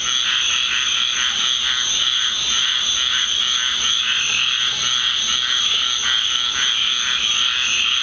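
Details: Loud after-rain frog chorus at night in a Deep South backyard: a wall of overlapping high trills and pulsing croaks, continuous and dense across the whole stretch.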